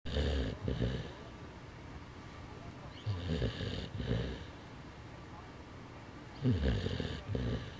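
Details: Bernese mountain dog asleep and seemingly tired, snoring in rough, breathy rasps that come in three separate bursts about three seconds apart, with hiss-like breath noise between the deeper rumbles and quiet stretches in between.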